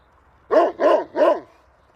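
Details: Dog giving three quick, evenly spaced barks in under a second, each bark mid-pitched and rough, against a quiet background.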